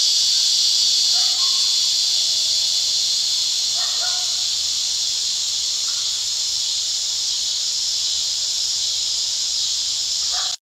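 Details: Loud cicadas producing a continuous, harsh, high-pitched buzz that holds steady without pause from start to end, with a few faint short chirps beneath.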